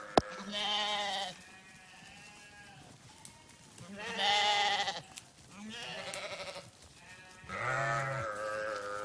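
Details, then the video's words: Sheep giving four drawn-out, wavering bleats spaced a couple of seconds apart, mixing low throaty calls with higher, strained ones, over a quiet background. "Sheep Videos 🐏 Sheep Sounds"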